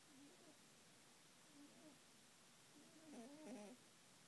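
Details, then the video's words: Sleeping female rabbit Binky snores gently, giving soft nasal squeaks at first, then a louder, wavering double-pitched snore near the end in a hushed indoor setting. "Binky Snores"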